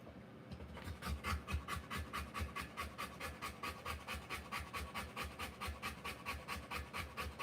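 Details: A Rottweiler in labour, delivering puppies, pants rapidly and steadily, about 136 breathy puffs a minute, each a short hiss spread from low to very high pitch, after a quiet start.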